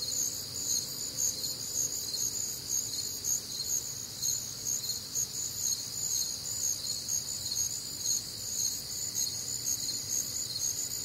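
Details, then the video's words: Night chorus of crickets recorded on a warm, humid summer night in the Midwest; continuous shrill layered trilling, beating roughly twice per second, unbroken for the whole stretch over a quiet low background. "Night Time Cricket Sounds"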